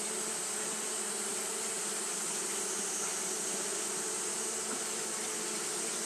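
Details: Japanese honey bees fanning continuously on a hot day: a steady, dense low hum with a droning buzz that never breaks, overlaid by a constant bright hiss throughout.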